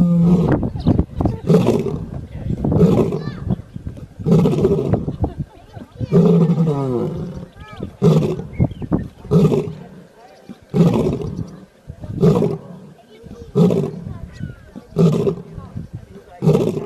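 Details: Lion snoring, a deep rasping breath in regular low rumbling pulses about every one and a half seconds, each burst rough and broadband with strong low tones, with softer quieter gaps between breaths.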